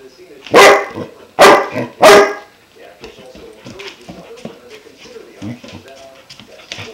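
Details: A five-month-old German Shepherd puppy faces its new water buffalo horn and gives three sharp, loud barks in quick succession, followed by soft whines, snuffling and faint movement.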